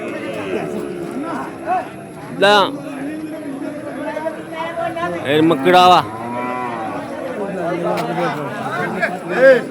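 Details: Bull calves for sale at Kollannur market call out with several low, harmonic-rich moos, two strong ones near the middle. Men bargain and chatter throughout.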